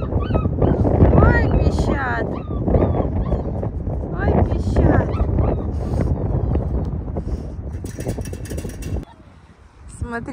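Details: Young wolf pups of a Yakut wolf in an enclosure, recently moved to an open enclosure, give high, whiny squeaks with rising and falling bends, repeated in short bursts, while a woman talks over them throughout; a sharp clatter near the end.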